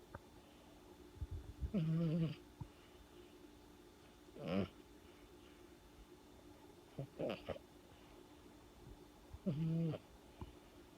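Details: A pet cat snoring indoors. Four buzzy, low breaths recur roughly every two and a half seconds, with faint background hum in between.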